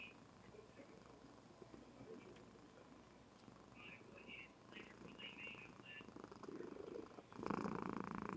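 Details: Female Somali cat dozing indoors, recorded with a webcam, purring in a low rhythmic rumble of about four pulses a second. The purr grows louder near the end, with murmured speech and faint chirps in the background.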